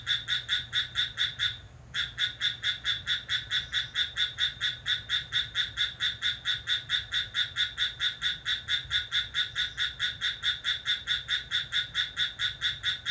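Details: ['At midnight on July 6 a cricket calls vigorously: sharp, high chirps pulsing regularly just over twice per second, interrupted by a short pause near two seconds, then continuing without a break.']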